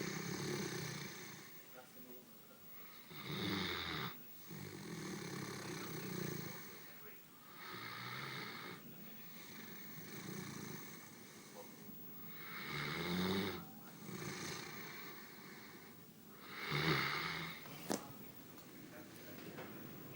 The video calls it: Great Dane snoring